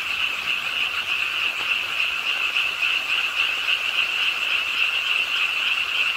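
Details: Pond-side frogs in Suwon's Ingye Art Park croak with the nighttime rain, their calls merging into a steady, high rattling drone with no pauses, rain hiss filling the background.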